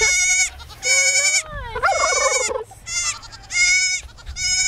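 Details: A lost baby goat calls for its mother with loud, bright bleats repeated about once a second. A lower, wavering call from another animal overlaps in the middle.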